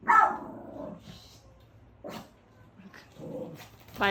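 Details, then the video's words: A pet puppy barks for attention at its owner's friend, who is back after a long time. One loud, sharp bark opens the clip, then quieter mixed voices and brief noises follow. A last short burst comes at the end. "오랜만에 만난 언니 친구를 강아지는 기억할까? (!엄청 짖음 주의!)"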